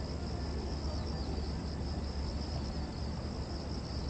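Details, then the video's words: Cicadas buzzing at Gwanggyo Lake Park, Korea, 2021-09-08, captured on a 5.7K VR360 camera. A sustained high, wavering drone runs throughout, partly masked by a loud low-pitched background roar of traffic. "광교호수공원 매미소리"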